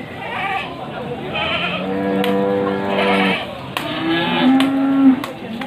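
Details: At Pasar Wage market in Panggul, Trenggalek, Indonesia, male goats await sale before Qurban on the morning of 18 May 2020; one long, steady, nasal bleat of about a second and a half, then shorter calls and sharp knocks amid market chatter.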